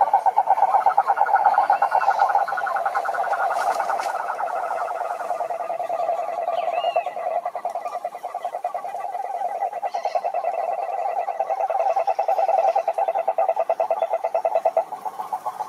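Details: Wild cururu toads (Rhinella marina) calling at a lake in Brazil's Atlantic Forest: several long, low, purring pulsed trills overlap into a steady droning chorus, swelling and fading in loudness throughout.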